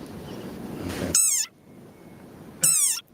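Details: An angry desert rain frog gives its squeaky war cry, like a dog toy: two shrill cries, each falling slightly in pitch, about a second and a half apart; finding: desert rain frog.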